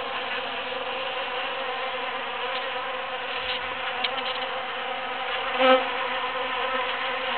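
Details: Busy bees foraging through huge cactus flowers after the June 22, 2013 Super-Full Moon; a steady, dense buzzing hum of many wings with layered droning tones, swelling briefly near the end.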